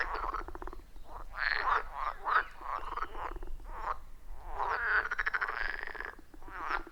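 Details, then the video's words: Chorus of wild frogs calling at a quiet forest pond, captured on iPhone 14 Pro with Shure MV88+; grating, trilled croaks come in irregular clusters, several frogs overlapping, with softer calls between louder bursts. "30 Minutes of Frog Sounds at a Forest Pond"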